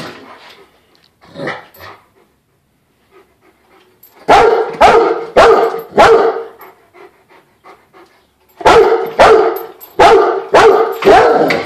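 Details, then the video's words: Rottweiler reacting to a floor jack it hates, giving two bursts of loud, rough barks in groups of three to five, roughly two per second, after a quieter start with faint huffs and panting. "Rottweiler hates th ed Floorjack"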